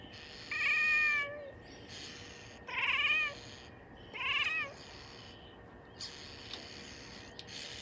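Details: At a window, Xena, a female Bengal cat six months old, chirps and barks at birds: three clear harmonic calls, each under a second, the first rising then dropping, followed by faint clicks over a steady hum.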